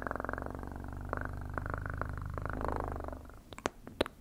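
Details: Close, continuous purring from a house cat, a deep even buzz throbbing rapidly, easing off near the end where a few crisp clicks take over.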